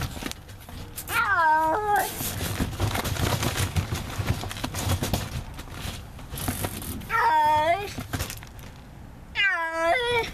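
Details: Neighborhood feral cat trapped for trap-neuter-return meows three times, long sustained cries spaced several seconds apart, rising slightly and then falling at the end. Steady rustling background noise fills the gaps.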